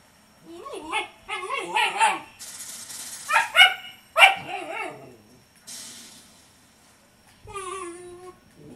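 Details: A female Siberian Husky grumbles in wavering, moaning growls while guarding a bone from a persistent German Shepherd puppy she has never hurt; she doesn't want to share.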